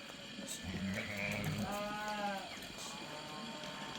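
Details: Sheep giving one wavering, tremulous bleat in the middle of the recording, set among people talking over a busy background murmur.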